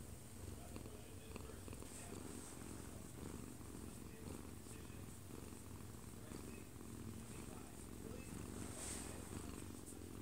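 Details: Sleeping in its owner's arms, an odd-eyed Munchkin cat aged one year two months purrs steadily, recorded up close indoors; an unbroken low, throbbing purr fills the clip while a TV plays softly nearby.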